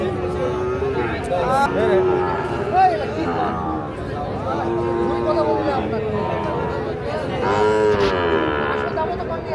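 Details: Sahiwal cattle at the Ambari cattle market in Parbatipur, Dinajpur, Bangladesh: overlapping drawn-out moos from several animals amid crowd chatter and voices.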